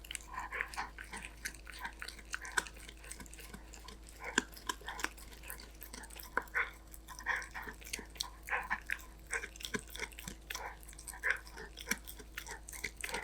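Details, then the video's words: Golden Retriever puppy named Danbi eating snacks indoors: steady crunchy chewing and biting, short crackling bursts repeating irregularly every fraction of a second, with sharp clicks and soft wet smacking throughout. "넋 놓고 보게 되는 강아지 먹방 | 골든 리트리버 강아지 단비"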